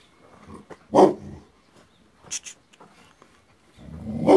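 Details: Tibetan Mastiff (Do Khyi), an aboriginal guard dog of Tibet, gives one loud, heavy bark, then faint scuffles and clicks, and ends on a swelling, growling bark.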